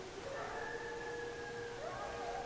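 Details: Coyotes calling from below a back ridge, not far off, during a fire department siren; several wavering, sliding howls rise and fall over a steady siren drone.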